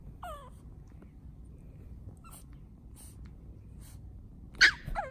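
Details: Duke the pug, kept as a family pet, whines at the start with a falling squeal. Near the end comes a sharp, loud yip and another descending whine, set against quiet room rumble.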